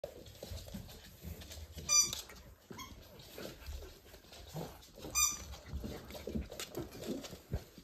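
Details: Pembroke Welsh Corgi puppies born 31 January 2023, filmed playing on 17 March 2023 during a live stream; two brief high, sharp squeaks stand out about three seconds apart over steady scuffling and pattering of paws.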